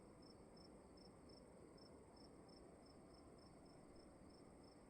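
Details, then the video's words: A cricket calls in a quiet room with evenly spaced, slightly drawn-out high chirps about twice a second, accompanied by a faint continuous high tone and a low hiss. "Sound of emptiness and crickets in the room"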